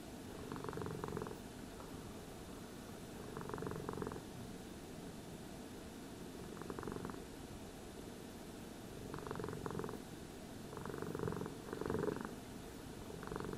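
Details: Purring cat being groomed with a brush. Steady low rumble throbs in repeated breath cycles about every two to three seconds across the whole stretch, quiet indoor background.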